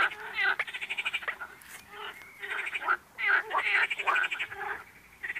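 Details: Rapid, raspy frog croaks, each a short buzzy rattle, tumbling out in quick irregular runs with several callers overlapping.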